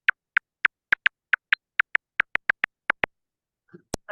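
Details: A silver-haired bat feeding in a valley gives echolocation calls, slowed to audible clicks, repeating in a quick, uneven train as it locates prey.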